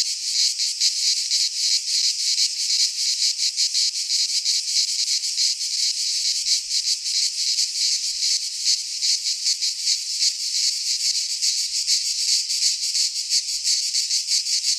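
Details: Greek pine-forest cicadas in midsummer: a constant shrill, rasping drone with fast irregular pulsations, sustained for the whole stretch without pause or background noise.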